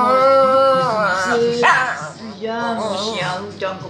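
A Shih Tzu howls along in a sustained, tuneful voice, its long notes bending up and down with a slight waver. A lower voice or music runs underneath throughout.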